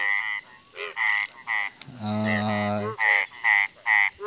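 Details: Frogs calling at night in India: short nasal croaks in bursts about half a second long, repeated roughly every half second, with a man's voice speaking briefly in the middle.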